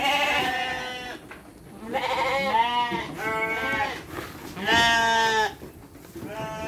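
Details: Domestic sheep being fed dry feed together with children, several animals bleating in tremulous, harmonic calls of about a second each, repeated with short gaps.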